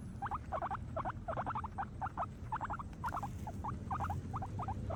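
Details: Several happy guinea pigs eating grass, giving loud, clustered crunchy chews in fast bursts, several per second, with a faint low hum beneath.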